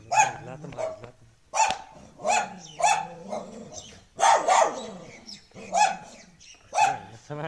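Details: Barks from street dogs come roughly every second in a steady series, each a harsh burst with a short whining tail and a low hum beneath.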